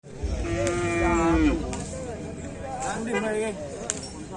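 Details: Cattle at a Karapan Sapi bull race selection event in Bangkalan regency: one drawn-out, steady moo lasting about a second that drops at the end, followed by fainter lowing and a murmur of crowd noise.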